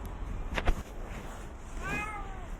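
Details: Stray cat in China surviving snowy winter cold of -12°C while being offered food; one short meow that falls in pitch, with clear layered tones, after a few sharp clicks, over a steady low rumble.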